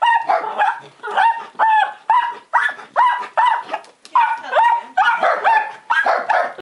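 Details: A black-and-tan Miniature Dachshund gives a rapid run of high, sharp, clipped barks, telling off a window cleaner, and a longhaired dachshund joins in.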